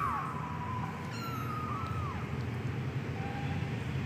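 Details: Persian kitten, medium type, with thin wavering meows that dip and rise, a brief higher squeak in the middle, over a loud low rumbling background.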